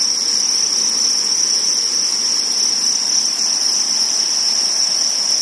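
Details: Spawning crickets produce a continuous piercing trill on a single high note, dense and even from start to finish, with no pauses.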